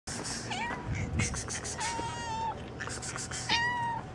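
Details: Street cats, a black cat with striped cats, meowing outdoors: several clear drawn-out meows holding a steady pitch, each about half a second long and repeated through the clip, over a constant low hum and street background.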